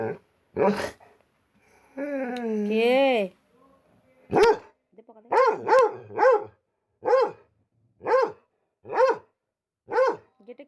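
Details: A pet dog barking in a steady series of about eight sharp, short barks, each roughly a second apart. Speech is heard at the start, followed by a brief tonal wavering sound before the barking begins.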